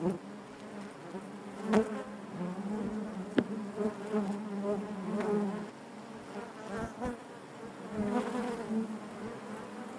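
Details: Honey bees humming within the hive, an unbroken low drone with wavering overtones, punctuated by a few quick clicks and brief louder passes of single bees.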